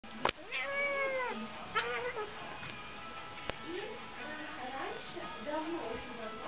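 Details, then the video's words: Siamese and Siberian cats, a domestic pair, quarrelling: drawn-out wavering yowls and whining meows, rising and falling, repeated several times, with background music and human speech. "Разборка семейной пары котов"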